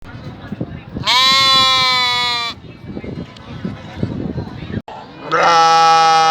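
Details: Sheep at a market, screaming in two loud, harsh, drawn-out bleats almost like human screams; the owner suspects distress such as missing lost lambs or a previous owner. Sheep (Ovis aries), bleat.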